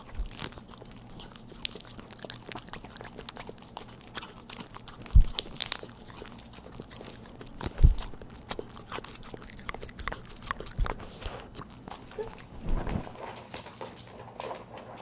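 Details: Pet dog at home eating a churu treat, recorded close up in a small indoor room with no talking; soft wet licking, smacking and irregular chewing clicks, a few sharper crunchy knocks, all fairly quiet.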